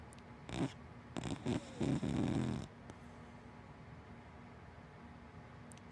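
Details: Hana, a big black Dachshund–Labrador mix dog, snores while asleep: a run of rough, low, rasping breaths in short bursts over about two seconds, then a quiet room hum.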